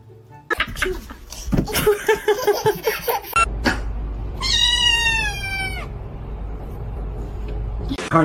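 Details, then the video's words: A cat gives one clear, long, slightly falling meow in the middle, surrounded by a person talking, background music and bursts of handling noise. "funny cats talking"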